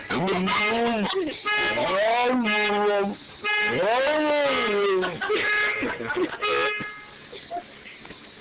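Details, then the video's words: A dog howls in response to a car horn: long wavering wails that rise and fall, repeated in several drawn-out bouts, with steady flat horn tones sounding between them and outdoor street noise. "Dog howling at car horn"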